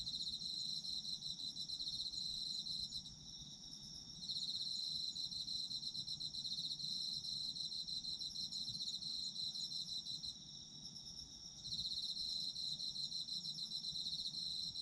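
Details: Chorus of autumn insects, presented as sleep ASMR: several overlapping shrill, sustained trills, one rapid pulsing singer pausing twice, around three to four seconds and again near eleven seconds, over a soft low background hum.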